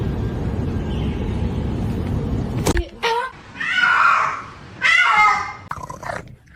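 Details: Cat from a funny pets meme compilation giving two drawn-out, harmonic meows after a stretch of loud low rumbling noise and a sharp click.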